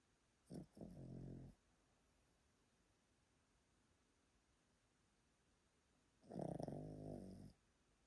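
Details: Old Pomeranian snoring in its sleep: a brief rasping double snort, a long silent pause of about five seconds, then one longer, louder, rough snore lasting over a second.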